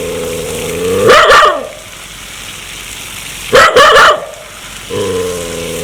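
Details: Aggressive dog ready to bite: a growl rising into a harsh bark, a second double bark a few seconds later, then more low growling.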